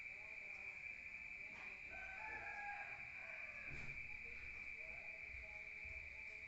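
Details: Crickets at night in the countryside, heard from inside a room: an unbroken high ringing trill runs throughout, while louder lower calls with a crowing pattern rise over it in the middle.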